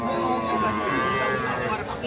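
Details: Deshal dairy cow with calf at the Saturday Kaharol cattle market in Dinajpur, Bangladesh, during the Qurbani market on 1 June 2024; a steady, droning moo with layered harmonics fills two seconds beneath a man talking and crowd chatter.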